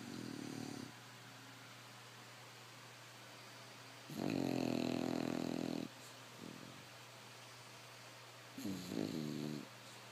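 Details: Sleeping English Bulldog snoring indoors: a long, loud, rasping inhaled snore lasting nearly two seconds, with shorter, softer snorts before and after, over a steady low hum.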